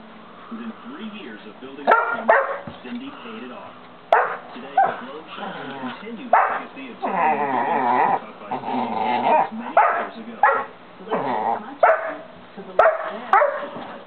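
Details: Loud barks from Dozer, a St. Bernard puppy of 5½ months, inviting Simba, another dog, to play. Single heavy barks come every second or so, mixed with voices and a stretch of talking in the middle.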